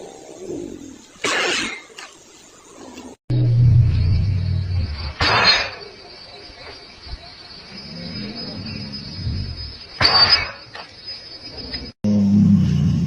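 A tiger sneezes several times, each a sharp, breathy burst with a low rumble behind it.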